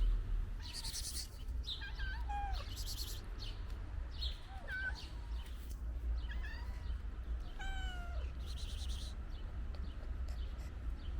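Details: Ginger stray cat and its companions eating pate food; wet smacking chewing clicks come in bursts, broken by several short meows that slide downward in pitch, over a steady low rumble of background noise.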